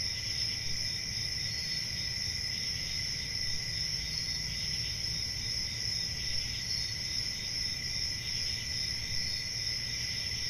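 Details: Crickets on a summer night in a forest, a steady unbroken chorus of high shrill trilling in several layered pitches, with a soft low rumble beneath and no pauses.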